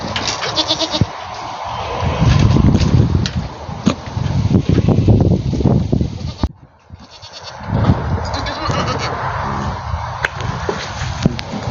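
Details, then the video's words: A domestic goat producing strange vocal noises: harsh, nasal bleating and groaning in two long bouts separated by a brief silence near the middle, with a raspy, broadband texture. "Weird Noises My Goat Makes"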